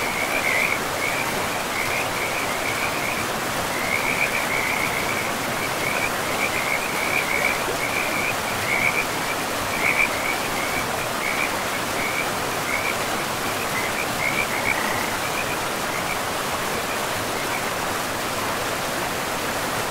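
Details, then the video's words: A frog chorus by a river in pristine forest. Brisk, rapidly repeated high chirps run for about fifteen seconds and then thin out, while the river's steady rushing noise fills the background. "River and Frogs sleep sounds"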